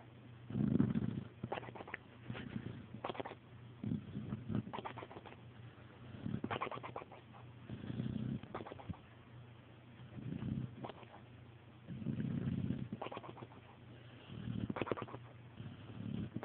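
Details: Tootsie, a pet dog, snoring while asleep and flubbering her lips; low, rumbling breaths come in regular pulses roughly every one and a half to two seconds, each with a fluttering, flapping texture.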